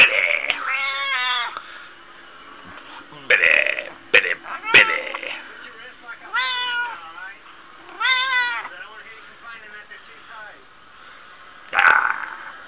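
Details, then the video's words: Several short, bent meows from Smokie, a chatty female house cat, are spaced through a back-and-forth with her owner. The owner's speech, sharp clicks and knocks fill the gaps between the calls. "talking to my cat smokie"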